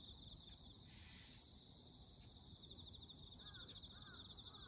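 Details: Morning insect voices form a dense, continuous shrill buzz with rapid pulsing, unchanging in level, while a few short bird chirps slip in near the end over a low background rumble.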